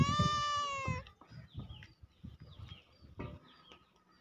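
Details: Domestic cat giving one long, steady meow that drifts slightly downward and lasts about a second, followed by faint low rustling and soft clicks.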